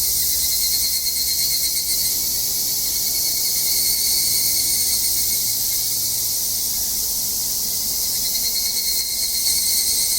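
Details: Cicada song in Japanese summer mountains during a hike: a sustained bright, hissing insect chorus with slight pulsing swells, a steady thin tone underneath and faint low rumble.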